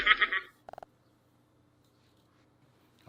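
An Asian palm civet gives a harsh, raspy snarl and a few quick clipped notes, directed angrily at another civet.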